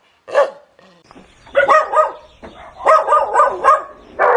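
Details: Dog barking loudly: a single bark, then two quick bursts of harsh, harmonic barks in close succession, the last one cut off at the end.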